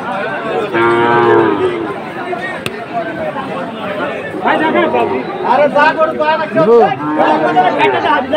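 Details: {'text': 'At a Bangladeshi cattle market in Chattogram on 7 September 2024, a Sahiwal breed bull being bought; a short, rich moo near the start, followed by loud overlapping chatter of traders.'}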